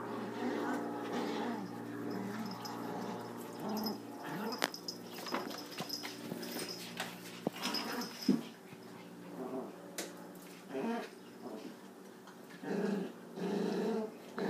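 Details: Boston Terrier puppies growl and whine in short bursts during a rough three-way tug-of-war, with a chihuahua trying to join in.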